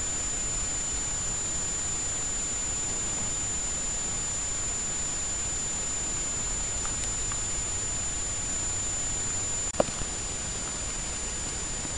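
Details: Constant broadband hiss with a thin steady high whine and a single sharp click near the tenth second, and no animal sounds present.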